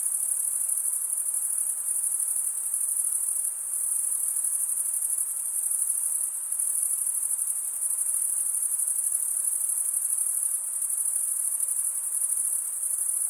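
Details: Steady high-pitched stridulation from crickets, usually the males, scraping wing against toothed wing; the dense shimmering trill holds without pause, with only slight swells in loudness throughout.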